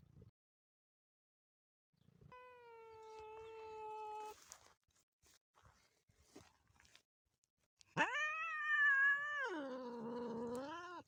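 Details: Motherless kitten calling: a thin, steady two-second cry, a stretch of faint rustling, then a loud, wavering meow held for about three seconds that dips and rises in pitch.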